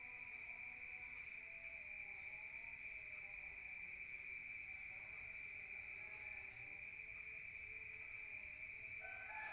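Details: Countryside crickets at night, heard from inside a room, keep up a level, unwavering high-pitched trill while faint scattered lower sounds drift in the background and a brief louder sound rises near the end.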